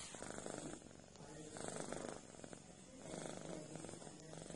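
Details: A cat kneading its companion in a massage purrs steadily. The rumbling comes in phases of about a second and a half, rising and falling as it breathes.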